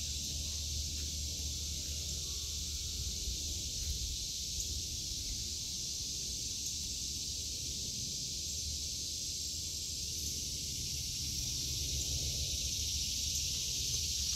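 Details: Summer cicada chorus in a home vegetable garden in August 2023: an unbroken, shimmering high buzz that dominates throughout, with only a soft low rumble beneath and occasional light rustles.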